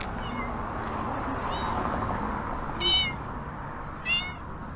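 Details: Ginger tomcat living on the streets of Türkiye, hungry during the Kurban Bayram holiday, begging for help; faint meows give way to two loud, sharp meows about a second apart over a steady outdoor hum.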